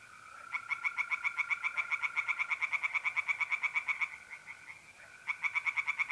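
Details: Night chorus of tree frogs at a pond in north-eastern Italy, mid-April: a long run of quick, rhythmic croaking pulses lasting about four seconds, then a short pause and a fresh burst, while mole crickets trill continuously underneath.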